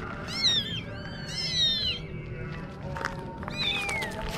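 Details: Kittens mewing in quick, high, wavering calls that slide downward, with a gap of rustling midway and a steady faint tone underneath.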